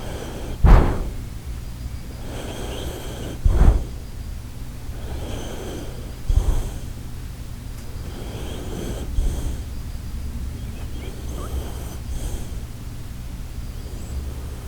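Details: Shiba Inu Koharu sleeping, with a slow sequence of rough snorting snores roughly every three seconds, some louder bursts between soft, breathy exhales, indoors and quiet.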